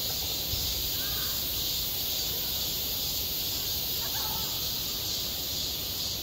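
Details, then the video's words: Midsummer cicada chorus over a school playground, a continuous shrill hiss with an even, unwavering level. Faint distant human voices surface briefly near the first and fourth seconds. "한 여름 운동장에서 매미가 울고 있다"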